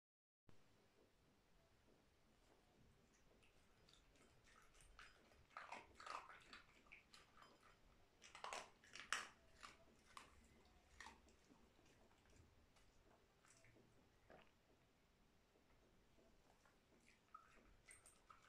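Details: Dog eating dry food indoors in a small room: scattered crisp crunches and bites, sparse at first, then a dense cluster of loud crunching in the middle before it tapers back to quieter, irregular chewing.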